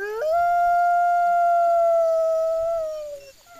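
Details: A captive wolf at Wolf Park, recorded 11 September 2010, gives a single loud, pure, sustained howl that jumps up at the start, holds a steady tone for nearly three seconds, then slides downward and fades.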